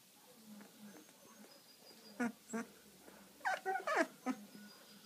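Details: Sleepy Labrador retriever puppy yawning: a few short, squeaky whimpers, then a quick cluster of high, falling squeals near the end, over a quiet indoor background.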